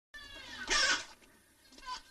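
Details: Nutria during mating giving a short, loud, harmonic cry with a rasping, cat-like quality, about a third of a second long, followed by a fainter second call near the end.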